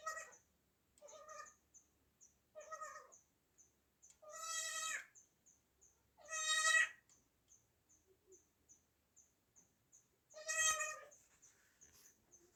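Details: Newborn baby goat, recorded in 2024, giving soft, nasal, wavering bleats of under a second, three weaker and three stronger, spaced irregularly, with a faint steady high ticking in the background.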